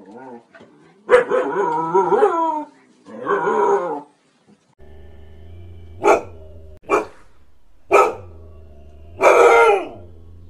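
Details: Siberian Husky dog vocalizing with two long wavering howl-like calls, then four separate short barks spaced about a second apart over a low steady hum.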